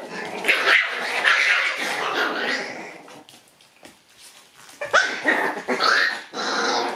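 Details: Shiba Inu puppies, a lively group at their daycare, play and bite. Sharp yips and growly barks pour out in a dense run, fade to near quiet midway, then return in fresh, high-pitched bursts.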